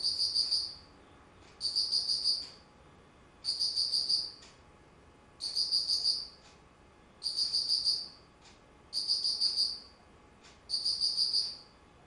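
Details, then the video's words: Autumn insect voice from 19 September 2009: a steady series of seven high, sparkling trilled bursts, each under a second, recurring about every one and a half seconds with soft background noise. "秋 虫の鳴き声"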